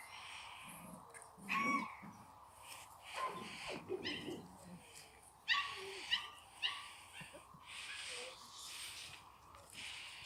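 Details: Chocolate Labrador Retriever puppies whine and whimper in scattered, drawn-out high cries, some rising and falling, amid rustling and light background noise.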